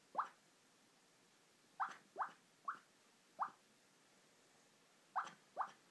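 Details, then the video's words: Napping female puppy squeaking softly in her sleep: seven short, high, rising peeps in loose clusters with gaps of about a second; room otherwise still. "Puppy sleeping makes cute sounds!"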